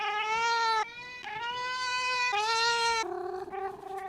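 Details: Domestic cat making weird drawn-out meows while wanting to be petted: three long, loud, harmonic-rich yowls, each about a second, steady in pitch, then a shorter wavering meow at the end.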